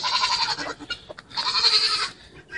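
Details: Young goat with its head stuck in a feeder bleats in two wavering, nasal bursts, the second longer and louder, while people laugh nearby.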